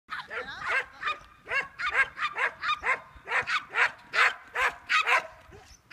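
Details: Papillon dog during disc frisbee practice on July 11, giving rapid high yapping barks, about twenty sharp repeated yelps in quick irregular succession with no pauses longer than a moment.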